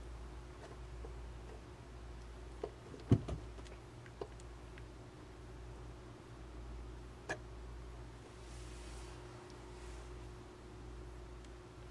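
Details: A quiet indoor room with a low hum and a few faint clicks and knocks.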